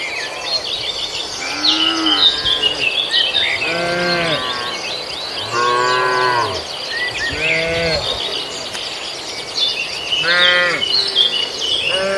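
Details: Cattle eating grass in a farmer's rice field; several separate moos spread across the recording, some deep and short, others higher and longer, with bird chirps and insect noise throughout.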